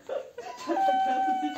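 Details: Husky being brushed at a grooming salon in Sofia, Bulgaria, 'singing' with a long steady tonal whine after a brief woman's voice; the held note carries clear overtones.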